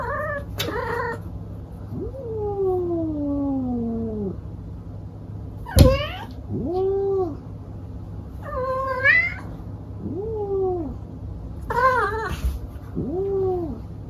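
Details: A male domestic cat caterwauls in a series of loud yowls: one long wail sliding steadily downward, then several shorter arched, rising-and-falling moans every couple of seconds, with sharp clicks and knocks between them over a low steady hum.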